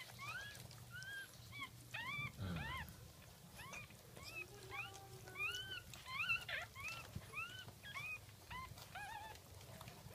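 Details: Jack Russell Terrier puppies squealing right after birth, second litter, early morning of 17 October 2014: rapid series of short, rising-falling squeaks and whines, some bursts louder, over a faint low hum and occasional handling noise.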